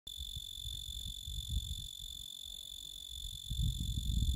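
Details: A male tree cricket (genus Oecanthus) sings a steady, unbroken high-pitched trill, with low rumbling noise beneath.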